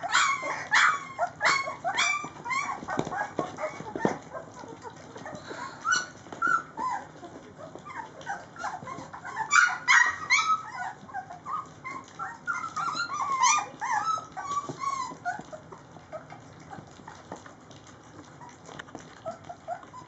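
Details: Three-week-old Rhodesian Ridgeback puppies from Layla's litter, several together while eating, make a dense chorus of short, high yips and squeaky whimpers that overlap in quick bursts, busiest near the start and around ten seconds.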